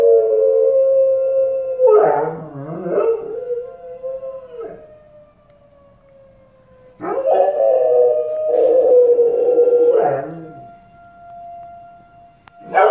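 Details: Pet dog howling in response to a live tornado warning siren: two long wavering howls with harmonic stacks, each a few seconds long, separated by a quieter gap where the steady siren tone continues underneath.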